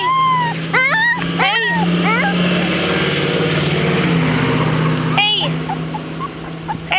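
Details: A 3-week-old male Rottweiler puppy, displeased on his first trip outside, howls in short, high, wavering cries over a steady engine hum.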